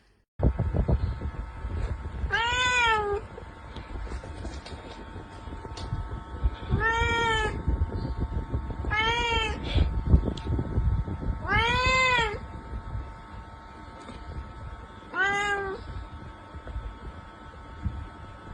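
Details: Domestic cat giving five long, arching meows, each rising then falling, spaced about two to four seconds apart, over a constant low rumbling background hum.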